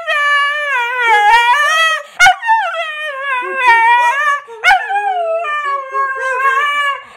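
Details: A Husky howls along to the Sanford and Son theme, its long, wavering, harmonic-rich notes bending up and down, interrupted by two brief sharp knocks, the voice holding nearly continuously throughout.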